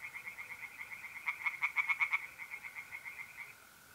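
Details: A mid-April night at a north-east Italian pond: a tree frog gives a quick run of rasping pulses, louder in the middle, while a mole cricket holds a continuous even trill underneath.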